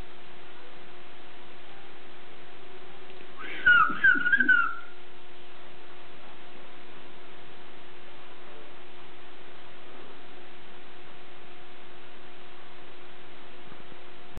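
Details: Puppy named Borsuk, also called Kłębek, sleeping; a single brief burst of high, squeaky, wavering whimpers lasts about a second, then the rest is quiet apart from a steady electrical hum.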